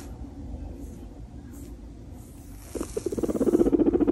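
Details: Pet guinea pig napping with its owner in the winter sun: after quiet rustling, a low, rapidly pulsed rumbling starts and grows steadily louder, throbbing several times a second over the final second and a half.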